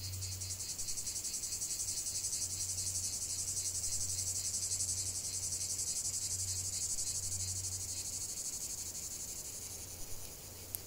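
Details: Cicadas sing in nature with a shrill, finely pulsed buzz that fades slightly toward the end, over an intermittent low hum.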